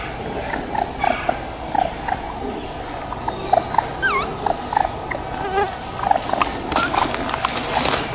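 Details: Baby raccoons at Black River Preserve, South Haven, Michigan, amid beech-maple forest and ravines, give short, thin chittering cries roughly twice a second over a steady rustling hiss; a single downslurred whistle, probably a bird, cuts in. Raccoon.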